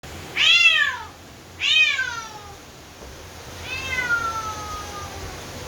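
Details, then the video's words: Orange domestic cat complaining about rain and angry at a thunderstorm: three loud drawn-out meows, each arching up then sliding down, the last longer and trailing off, over a steady low background rumble. "Orange cat complaining about rain & angry with the thunderstorm!!"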